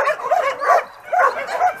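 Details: Homeless dogs at a shelter holding about 2,000 animals; four clear, arched barks at a steady rhythm of roughly two per second, with other dogs barking more faintly behind.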